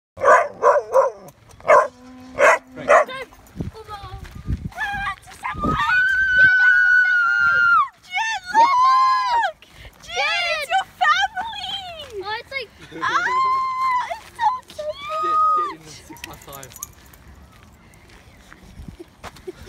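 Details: Samoyed dog meeting another Samoyed; drawn-out high whining howls, some sustained and some arching up and down, following a burst of short sharp yips, with people talking.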